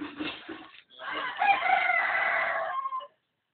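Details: Dog trying to sing like a rooster, giving a rough, crow-like cry: two short broken notes, a brief pause, then one long, strained, wavering call held about two seconds before it cuts off.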